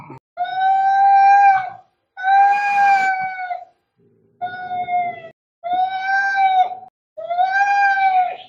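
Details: Angry cats fighting: drawn-out, steady, harmonic yowls, each about one to one and a half seconds long, come in five separated bursts with short silent gaps between them.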